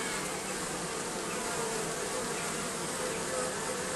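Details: Many bees massed under roofing make a continuous, even hum, a thick buzzing drone that holds constant throughout with faint higher whining tones drifting through it.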